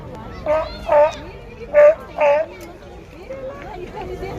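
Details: Sea lions making noise: four loud, harsh, honking barks, each about a third of a second, in two pairs about a second apart, then softer calling under background chatter and children's voices.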